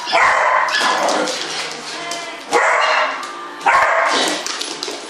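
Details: Beagle at play giving three loud, harsh barks about 1.3 seconds apart, each a broad noisy burst with a lingering tail; indoor echo, no other clear sounds.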